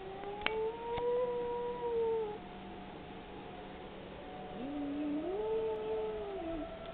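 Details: Domestic dog howling during tornado siren testing, its only occasion for howling: two soft, wavering drawn-out howls, the second sliding upward before holding and fading, over a constant siren tone and background hiss.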